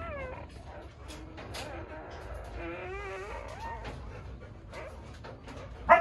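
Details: An Akita gives thin, wavering whimpers that slide up and down in pitch while giving birth.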